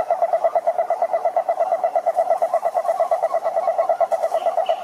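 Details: Toad croaking in a steady, rapid pulsed rhythm, a mid-pitched throaty tone with clear overtones repeating without pause throughout; faint higher chirps near the end.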